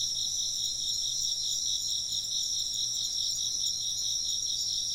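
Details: Continuous insect chorus: high, shimmering trills in two layered bands, the lower one beating in quick pulses, unbroken for the whole stretch against a quiet background.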